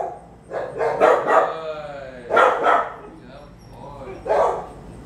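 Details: Three-year-old Bulldog mix during a private obedience training session held near barking dogs; three loud harsh barks in about five seconds, each with several quick bursts, over a low steady background hum.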